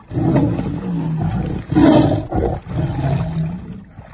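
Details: A tiger guarding its ball from a lion, growling and roaring: deep, rough, sustained rumbles in three long surges, the middle one loudest and harshest.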